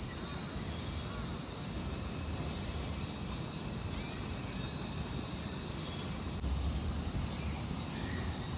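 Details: Cicadas calling in summer in a Tokyo park: a dense, continuous high buzzing drone runs unbroken through the whole stretch, with low rumbling background noise beneath.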